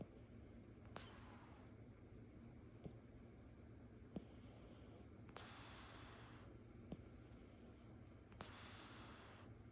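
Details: Nylah, a tiger-patterned Oriental Shorthair cat, snores softly while sleeping in her owner's lap, each breath a hissy, airy wheeze a few seconds apart.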